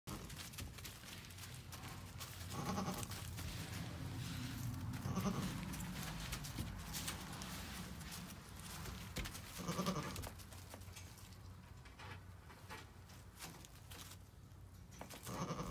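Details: Two-day-old twin Nigerian Dwarf goat kids, bouncy and happy, give short, wavering bleats over a steady low background rumble.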